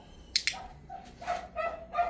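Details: Two sharp clicks, then three short, bright yaps in quick succession from a Pomeranian called Mi-yu during obedience training.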